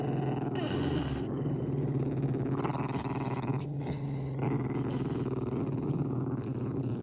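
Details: Pembroke Welsh Corgi with a deformed foot growling in a long unbroken low rumble, pulsing and steady throughout, with some higher breathy noise layered over it.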